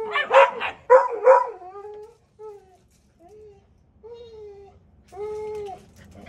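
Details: Gustl, a Deutsch Drahthaar puppy in bench training, gives three quick yapping barks, then trails off into thin drawn-out whines that rise and fall, ending in one longer steady whimper.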